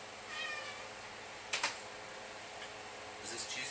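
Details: A pet cat asks for food while being offered Friskies cheesy bites indoors. One short, tonal meow rises near the start. Sharp clicks and faint rustling follow in a small, quiet room.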